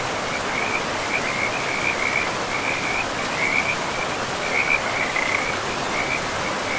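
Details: Forest frogs by a river give short, high, trilled calls in repeated bursts, some overlapping, against an even, loud hiss of running river water.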